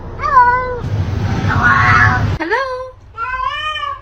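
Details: Domestic cat meowing three times with short drawn-out tonal meows, the first and last steady and the middle one swooping upward, separated by a burst of loud rustling noise and a person's voice.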